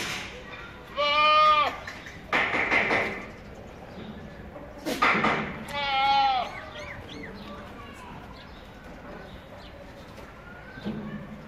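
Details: Pure-breed Boer goat on a farm giving two loud, quavering bleats about four seconds apart, each lasting under a second and wavering in pitch, with a burst of noise and soft voices between them.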